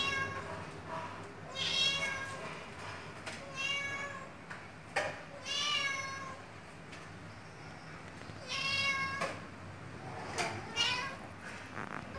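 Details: A Siamese cat gives a series of four loud, tonal meows spaced roughly two seconds apart. Each call swells and then falls away, with faint clicks and quiet room noise in the gaps.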